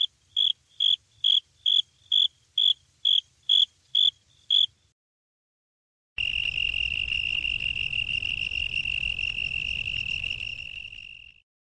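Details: A cricket first gives a series of crisp, evenly spaced high chirps about twice a second. After a pause comes a long, continuous buzzing trill at a slightly lower pitch that fades out at the end.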